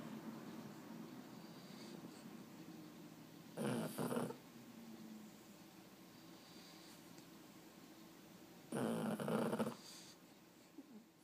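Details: Sleepless Boston Terrier at bedtime in a quiet room gives two short, gruff grumbling bursts roughly five seconds apart, otherwise only faint background hiss.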